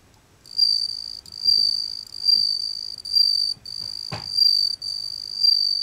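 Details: A Japanese bell cricket (Meloimorpha japonica) sings, ringing out a pure, high, bell-like trill in repeated long bursts.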